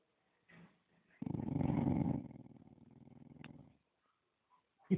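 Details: A dog guarding a bone gives a low, rough, rumbling growl that lasts about two and a half seconds and eases off toward the end, with a few faint short sounds before and after it.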